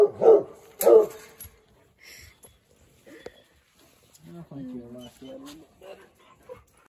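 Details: Two strong, deep barks open the recording of Eeyore, a talkative six-month-old Treeing Walker Coonhound puppy weighing 85 pounds, in his new home; quiet human speech follows after a pause.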